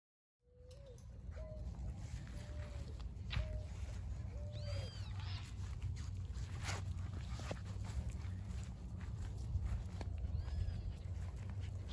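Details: Border Collie puppies, 49 days old, from a litter born 19 April 2022 and filmed 7 June 2022, with a German sire and Russian dam. Short, high whines and squeaky yelps, some rising and falling, come in bursts over a steady low rumble.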